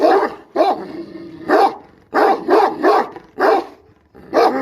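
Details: Dog barking in short, loud, harsh bursts, about seven barks in under five seconds, some doubled, with brief quiet gaps between them and no other clear sounds.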